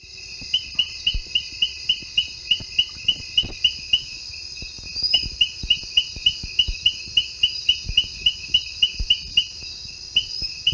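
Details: La Loma tree frog (Hyloscirtus colymba) call: short, high chirping notes repeated several times a second.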